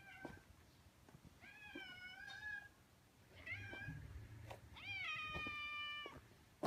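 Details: Two stray orange tabby cats in a residential area came out to welcome a familiar person. Three meows: a drawn-out rising-falling one, a short chirp, then a long level meow, with faint low rumbling underneath.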